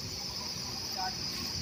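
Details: A cricket gives a steady, high-pitched shrill trill that runs unbroken over a faint low murmur. It was recorded at a model primary school in Rajgarh, Pratapgarh, Uttar Pradesh, near a national highway.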